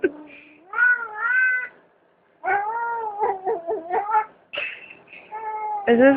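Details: Domestic cat with a fat tummy, shaking, gives drawn-out wavering meows in several bursts, some rising and falling, with a gap of silence near two seconds; a person talks over the cat throughout.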